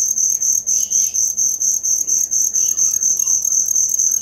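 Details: Cricket sound used as songbird learning material: a steady high chirp beating roughly twice a second, over soft scattered twittering in the background.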